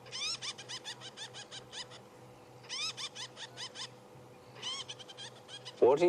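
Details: A squirrel alarm-calls at people on a morning safari drive on 4 March, chattering in sharp, rapid bursts of about ten harsh notes every second or two over a low engine hum; a voice cuts in at the end.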